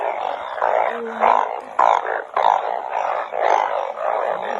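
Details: Narrow-mouthed frogs calling during rain while being caught: low, droning, nasal bursts repeated in uneven pulses, roughly every half second, from a dense chorus of overlapping callers with a steady background wash.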